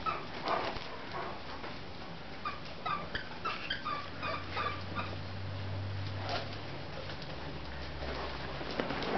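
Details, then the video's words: Great Dane girls Leena, Nadia and Shanti tussling and playing tug at work; clusters of thin, high whining squeaks and yips in the first half, then a low steady hum alongside soft scuffles. "Great Danes fighting,Leena,Nadia & Shanti playing tugg!"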